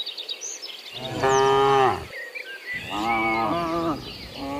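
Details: Morning moos from cows walking back from the field to their pen: two loud, rich, slightly falling moos about a second long each, then the start of another, with birds chirping behind.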